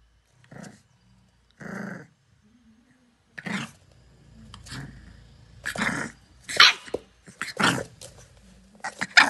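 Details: A female English Bulldog puppy, playing with her reflection, gives short growls and bursts of high, rough barking in uneven runs.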